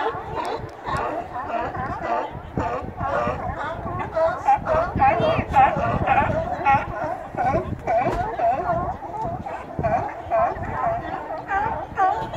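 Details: Sea lions at close range in Astoria, Oregon, recorded on a Note 4 phone: a dense chorus of hoarse, honking barks from many animals overlapping almost without pause, rising and falling in loudness for the whole stretch.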